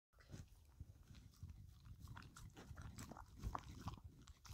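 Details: A dog licking and eating a cucumber snack and making a mess, no talking; wet smacking licks and crunchy bites repeat irregularly with soft chewing throughout, one sharper crunch near the middle.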